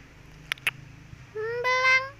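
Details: Orange tabby cat visiting on a windy afternoon gives a single drawn-out meow that rises slightly in pitch and swells toward its end, preceded by two sharp clicks in an otherwise quiet setting.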